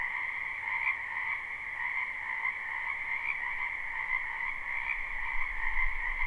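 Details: Frog chorus in a spring wetland behind a house, live unlooped recording: a dense, continuous pulsing croak in two steady bands, one lower and one higher, with a faint low rumble underneath.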